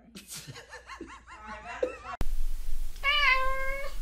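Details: Domestic cat from a compilation of singing pets lets out a single steady, slightly wavering meow near the end, after a stretch of mixed background voices and laughter-like sounds.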